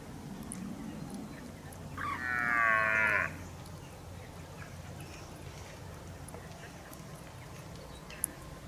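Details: Red deer stag, October 2023, giving one brief harsh roar of just over a second, a rich harmonic bellow standing out from a steady low rumble of background noise.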